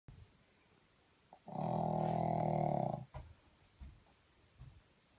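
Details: Sleeping pug indoors giving one long, rasping, droning snore lasting about a second and a half. It starts suddenly, holds steady, then stops, followed by a few soft breathy snuffles in a quiet room.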